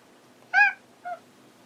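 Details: Hanu the cat calling while searching for Monaka indoors: one short bright meow followed a moment later by a softer, briefer chirp-like mew.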